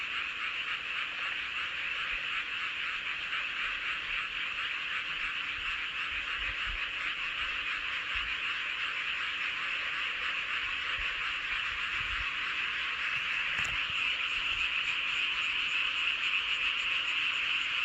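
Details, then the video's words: Frogs chorusing under a full moon at Seowon-myeon, Hoengseong County, Gangwon Province, South Korea: a dense, unbroken wall of rapid overlapping croaks and trills, steady and high-pitched throughout, with no other clear sounds. "보름달 아래 개구리들의 합창"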